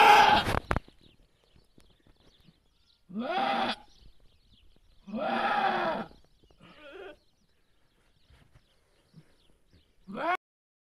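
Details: Goats bleating during a goat's birth. There is a sharp knock at the start, then three drawn-out, quavering bleats with long quiet gaps. A shorter, fainter bleat comes near the middle, and the clip ends on another bleat rising in pitch.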